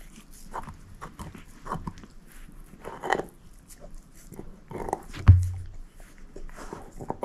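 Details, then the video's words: Shepherd mix dog named Moose eating a bone, with uneven wet gnawing clicks, a heavy low knock a little past midway, and quieter scraping chews before and after. "SHEPHERD EATING BONE ASMR"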